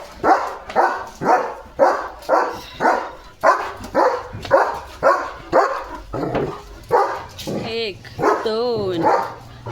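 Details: German Shepherd dog at home in the evening, barking at three dogs that came outside the gate. Gruff barks repeat about twice a second for six seconds, then a woman speaks over softer sounds.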